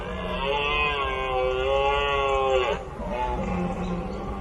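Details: A red deer stag gives a long, hoarse, drawn-out bellow from deep in the forest, the rutting roar of the breeding season that begins around mid-September.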